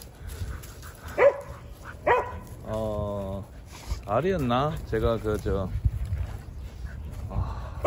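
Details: On a December winter Saturday morning, Jindo dogs give two sharp single barks, then a run of drawn-out, wavering harmonic whines or howls, mixed with a man speaking Korean.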